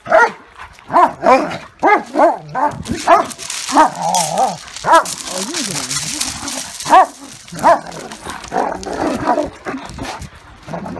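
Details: German Shepherd and Great Dane fighting, with rapid barks at the start, then a stretch of rough, noisy growling and scuffling before spaced single barks return near the end.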